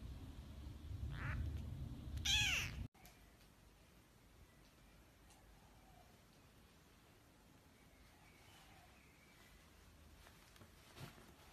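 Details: A newborn kitten, eyes still opening for the first time, gives a short faint squeak, then one loud, rising-and-falling mew. Near-silence with a quiet hiss follows for the rest.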